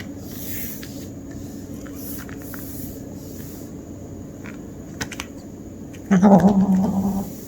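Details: Kitten growling during hunting play indoors: after a quiet stretch with a few soft clicks, a low, wavering, rumbling growl lasting just over a second comes through clearly against faint room hum.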